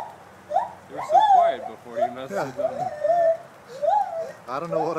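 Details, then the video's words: Gibbons at a college zoo in Gainesville, Florida howl in clear, arching hoots that swoop up and down, with a person's voice mixed in. "Howling Gibbons"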